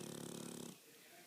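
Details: Sleeping pug, a pet dog, giving a loud rasping snore with fast fluttering pulses for under a second, then near silence with faint room noise.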